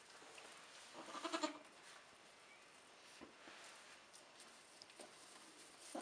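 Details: Nigerian Dwarf goats, a doe with her newborn triplets (two doelings and a buckling) only a few hours old, 2015; one short, harmonic, wavering bleat near the start of the clip, then quiet rustling and faint knocks indoors.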